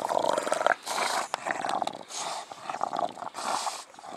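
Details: Heavy panting from a mastiff-family dog, the breeds listed being English bulldog, bull terrier and American bully. Broad rasping breaths come about every second, with wet snorting and clicking sounds in the gaps.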